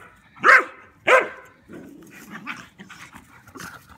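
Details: Rooney, a German Pinscher, messing with a Rat Terrier in play: two sharp, loud barks in quick succession, then a low, rough rumbling growl with scattered softer yips and scuffling.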